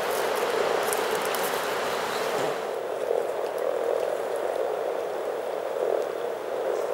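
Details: Over 300 frogs in spring at Teisko, Pirkanmaa, Finland, calling together in a dense, continuous low murmuring chorus of overlapping croaks, like bubbling water, with a few faint clicks above.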